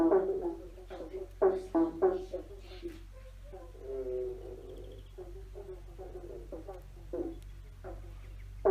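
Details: Several frogs call beneath a bridge with rough, twanging croaks in irregular runs, some overlapping, with a constant low rumble in the background.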